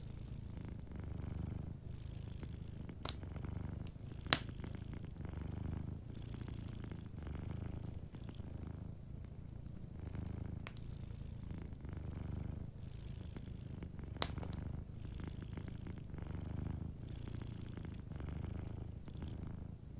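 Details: Deep, soothing purr from a sleeping cat, pulsing steadily with its breathing, while an indoor fireplace adds occasional crisp crackles and a few louder pops.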